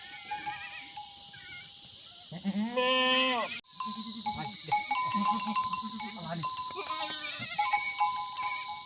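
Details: Himalayan goats in a forest near a village in Uttarakhand, India, giving wavering, quavering bleats, one long bleat and then a run of shorter tremulous ones, with cowbell clinks and a steady high insect drone behind.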